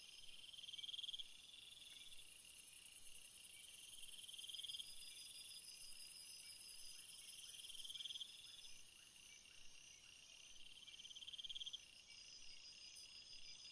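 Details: Crickets chirping in a field of flowers, a very high, sustained buzzing trill running for several seconds over a bed of lower pulsing chirps from other insects.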